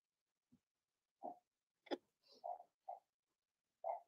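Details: Blenheim Cavalier King Charles Spaniel puppies from a litter of six, two females and four males born March 7–8, in an indoor puppy pen during potty training; short mid-pitched yips and squeaks come in scattered bursts, with a sharp knock near the middle.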